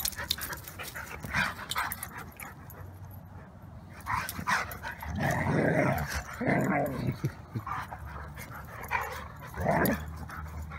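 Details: Two Siberian Huskies playing in the yard after their morning walk, giving a run of short yips and throaty barks in clustered bursts, with human speech and laughter mixed in.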